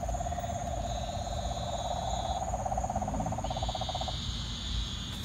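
A frog gives a long, low, pulsing trill that holds steady for about four seconds.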